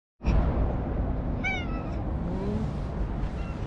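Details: Anko, a stray orange-and-white cat, nuzzling up affectionately at a lakeside at sunset in Japan; a single short rising-falling meow rings out over a steady low rumble of outdoor background noise.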